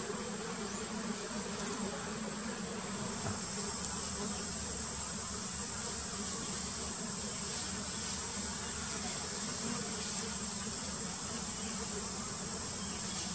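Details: Wild giant honey bees (Apis dorsata) during queen painting: a dense, steady low buzzing hum with a second layer above it, continuous throughout, under a constant thin high-pitched whine.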